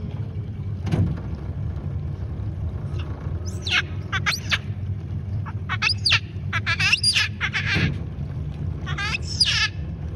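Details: A giant otter in the Pantanal in 2021, refusing to share a big fish with a youngster, gives sharp, harmonic squeals in quick bursts over a steady low engine hum.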